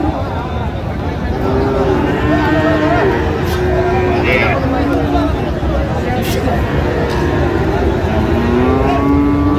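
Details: Friesian and crossbred bull calves for sale at Raniganj cattle market, Dinajpur, Bangladesh, 14 August 2025; several low, sustained moos overlap and bend gently in pitch amid constant chatter, bargaining voices and passing vehicles.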